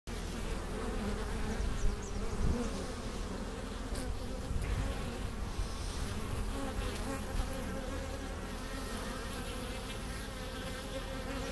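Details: Kept honey bees at the hive entrance in April, bringing in pollen and nectar: a dense, continuous droning hum of many bees, layered low tones with the occasional louder pass of a single bee.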